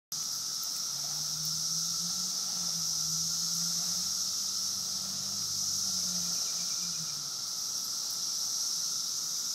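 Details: Periodical cicadas in Woodbridge, Virginia, during a 17-year emergence: a dense, unbroken, high-pitched shrill chorus surrounds the listener, steady throughout, while a low droning hum swells and fades underneath in the middle.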